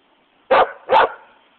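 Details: West Siberian Laika barking for a toy while a Shiba Inu plays nearby: two sharp, loud barks about half a second apart, then quiet.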